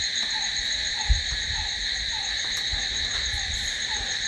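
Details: Night-time crickets keep up an unbroken high-pitched ringing trill, while a lower brief note recurs about every half second and a few soft low thumps sound in the background.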